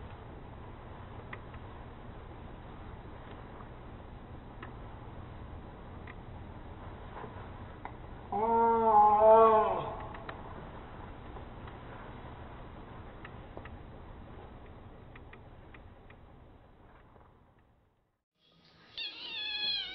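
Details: Pet kittens play fighting in July 2015. A wavering, harmonic yowl rises and falls over about two seconds mid-clip, and a short, high mew breaks in at the end over low steady room hum.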